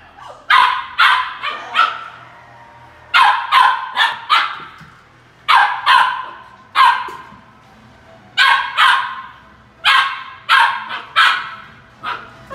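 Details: Puppy barking at an empty toilet paper roll; sharp barks in pairs and triplets, bursts roughly every two to three seconds with quiet gaps between, a faint low hum underneath.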